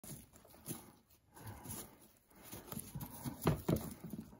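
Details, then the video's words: Pet guinea pig named Pano vigorously eating vegetables, a favourite food, especially grassy-smelling greens. Crunchy chewing bursts come in quick irregular runs and grow loudest near the end, with a faint steady hum behind. "豪快なモルモットの食事風景 綺麗にアレだけ残すね Cutie Guinea Pig Japanese life. His name Pano.咀嚼音"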